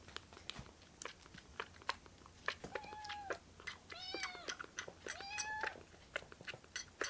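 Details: Young rescued foster kittens gathering on a hand in a small room. Chewing and biting clicks fill the first half, then three clear arched meows follow close together, one slightly doubled, over light handling noise.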